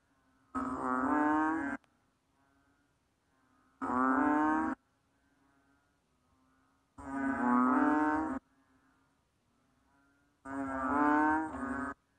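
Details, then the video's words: Banded bullfrog, Kaloula pulchra: four separate deep, cow-like bellows, each about a second long, repeated roughly every three seconds with quiet gaps between them. "How the Banded Bullfrog Cry?"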